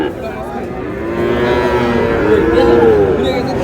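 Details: Cattle market at Ambari haat in Manikganj where Sahiwal bull calves are traded, 14 August: a short rising-falling moo comes late in the clip, beneath loud overlapping talk and bargaining.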